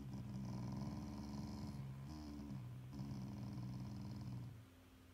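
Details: Shiba Inu dog growling as a show of affection toward its family, not anger: a low, rough, pulsing growl held for about two seconds, a brief break, then another long growl fading out near the end.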